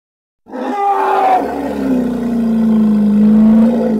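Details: Hippo giving one sustained harmonic roar that opens with a brief higher, strained note and then drops into a rough, even, mid-low bellow held to the end.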